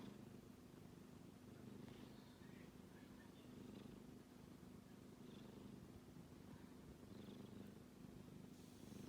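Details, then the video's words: A sleeping kitten snores steadily: a low, quiet, buzzing rumble that rises and falls with each breath over several cycles, with light household background hiss. "子猫のいびき a Kitty is making a noise when he sleeps"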